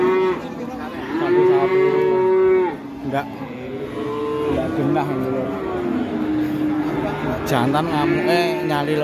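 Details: Released cattle on a rampage low heavily. One long, steady moo opens, then a string of wavering, overlapping bellows follows, broken by a sharp knock near the end.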